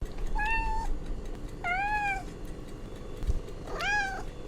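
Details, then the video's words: Domestic cat meowing: three separate harmonic meows, each under a second long, the first level and steady, the later two arching up then falling, over a low background hum. "Sounds of Familiar Animals - Cow, Cat, Dog, Elephant, Horse."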